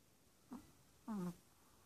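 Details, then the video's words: Rico the Chihuahua, a six-month-old pup adopted from the ASPCA two days before, snores in his sleep: a brief low grunt, then a longer, slightly falling hum, in a quiet indoor room. "Rico The Chihuahua - Snoring!"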